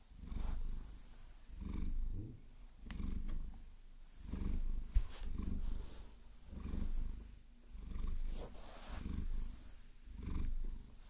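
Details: Maine Coon house cat Vasilisa purrs contentedly as she is caressed and massaged with long nails. Low, buzzing rumbles rise and fall about every 1.2 seconds, with occasional sharp nail taps and scratches.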